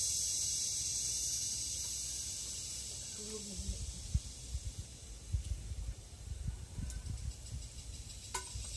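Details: Philippine cicada (kuliglig) in forest: a loud, steady high-pitched shrill drone for the first few seconds, then fading under low rustles and scattered knocks.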